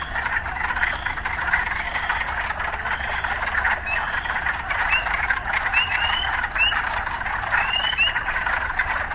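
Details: Steady massed croaking from urban frogs, mixed with occasional urban sounds, builds in the second half as several quick upswept chirps follow one another. A soft low-pitched rumble persists throughout.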